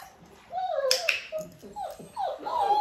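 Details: Nearly six-week-old Dalmatian puppies, kept indoors with their mother Arya and fed kibble and goat's milk, whimper and yip in a string of high, tonal, wavering cries, some rising and falling. A sharp click and a woman's voice are also heard.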